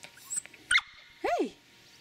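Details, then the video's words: Ellie, a Shetland Sheepdog puppy, whines excitedly on seeing her owner arrive home at the parents' house. A short high yelp is followed by a longer whine that rises then falls, with quiet indoor room noise behind it. "Sheltie Puppy Excited to See Me"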